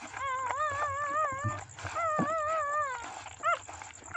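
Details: Giving birth, a black Chow Chow makes quavering, wavy whines in two long runs, then a short rising squeal near the end, with low thumps and a faint steady high-pitched tone in the background.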